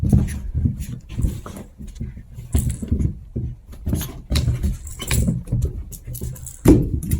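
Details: Pair of Chihuahua puppies playing: low, rough little growls and grunting snuffles in short bursts, mixed with scuffling, bumping and clicking sounds of their romp in a small room.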